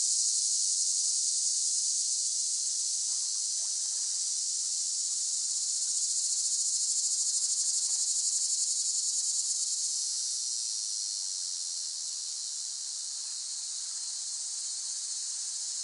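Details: Cicada chorus buzzing high and constant, staying loud for about ten seconds before easing a little quieter, with faint scattered ticks underneath.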